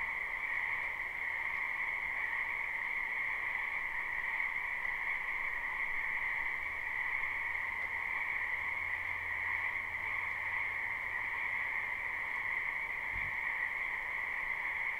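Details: Wetland frogs calling in spring, recorded live behind a house: a steady massed croaking chorus without pauses, a faint low hum drifting in partway through and a short knock near the end.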